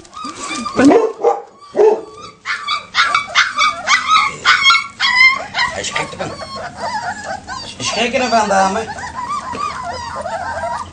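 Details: Leonberger puppies outside for the first time, panicking as the big adult dogs start barking: a dense, chaotic run of high yelps, whines and yips overlapping throughout, loud from the start and continuing for the whole stretch.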